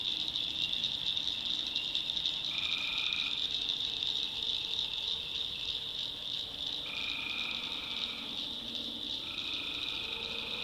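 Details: Swamp at night in the North Carolina backwoods, full of tree frogs: a steady shrill high chorus never pauses, and lower trilling calls of about a second cut in three times, spaced several seconds apart.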